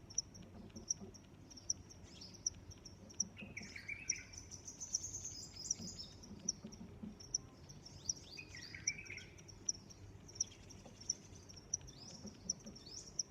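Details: Cricket giving evenly spaced high chirps, about one per second, while birds sing warbling and twittering phrases at intervals over a faint low rumble.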